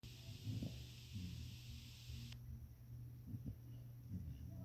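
An English Springer Spaniel snores with low, rumbling breaths and soft, breathy bursts.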